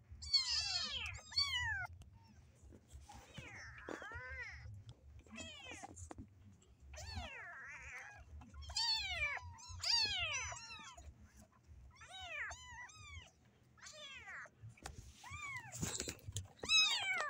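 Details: Several kittens in a cage, wanting to get out, meow almost constantly; high, arched cries overlap one another about three times a second, with scraping and clattering from the cage between them.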